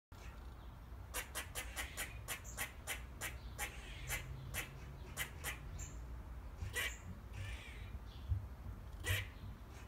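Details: Eastern gray squirrels calling to each other in back-garden trees: a rapid series of sharp, broadband chucks roughly three per second for about four seconds, then a few scattered calls, over low steady background rumble.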